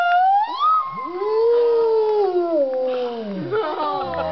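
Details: Wolves at the Colorado Wolf and Wildlife Center howling at midday: two overlapping howls, one higher and falling, one lower and sliding down into a deep tail, with other voices starting near the end.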